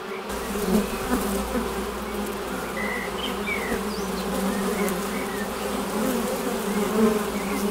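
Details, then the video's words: A dense, steady hum of many Western honey bees flying at a hive entrance, a low droning buzz with faint higher chirps from passing birds. "Bienensummen am Flugloch - 5 Minuten das Summen der Bienen"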